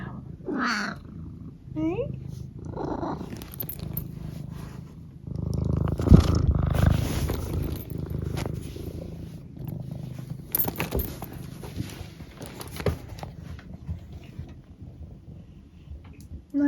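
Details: Eric, a pet cat, purring loudly indoors, a steady low rumble with a few short chirpy trills early on, while a person talks nearby.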